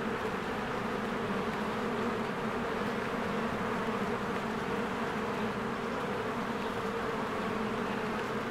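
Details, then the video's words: Honeybees in spring, many flying in and out of their hive while flowers bloom; a dense, steady buzzing hum with a strong low drone, unbroken through the whole stretch. "1 Hour of a Beehive ASMR"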